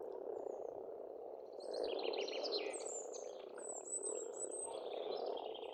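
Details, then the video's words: Pond frogs in spring on an Estonian farmstead, a dense rapid croaking chorus throughout, joined midway by bright chattering bird song and high thin whistles. "Расслабляющее пение птиц и лягушек, весна, природа."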